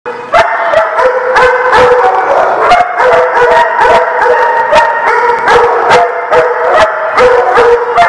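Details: Many dogs barking together in a kennel or dog lot, a dense chorus of overlapping harmonic barks about two or three per second, some drawn-out howl-like yelps, with sharp clatters and knocks throughout.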